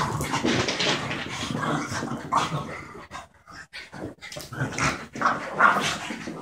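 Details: Two pet dogs, a 12-month-old border terrier and a French bulldog of about four, playing together indoors; rough, noisy growls and snarls in uneven bursts with a short quieter gap midway.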